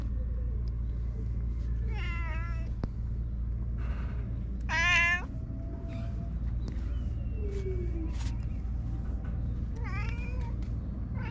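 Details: Stray cat on a Japanese cat island, woken from a nap by a man, gives three clear meows: a wavering one at 2 seconds, a loud rising-falling cry near 5 seconds, and a shorter one at 10 seconds, over low constant hum.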